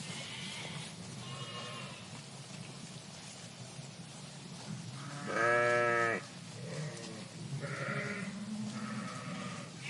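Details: Flock of sheep in a park bleating: several separate harmonic bleats from different animals, with one loud, wavering bleat in the middle lasting about a second, over constant low background hum.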